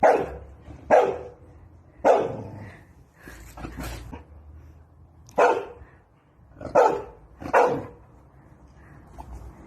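A Chow Chow gives a series of deep, gruff barks with short pauses between them.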